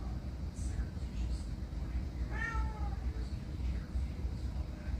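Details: Single meow from a pet cat: one clear harmonic call, slightly arched then falling, lasting under a second, set against constant low-pitched background hum with otherwise quiet surroundings.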